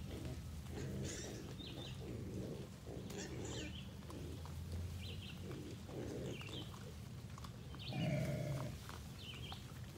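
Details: A big feral hog boar growls at the person recording at feeding time, in low, rumbling bursts, with faint chirps high in the background.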